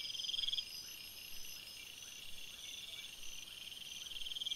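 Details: Forest crickets at night give continuous high buzzing trills in several overlapping layers, with a brief loud burst at the start and faint rhythmic lower ticks throughout.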